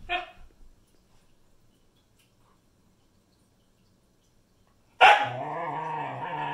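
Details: Siberian Husky puppy telling off her sister: a brief bark at the start, a long silence, then a loud, sudden, sustained throaty growl-howl with wavering pitch.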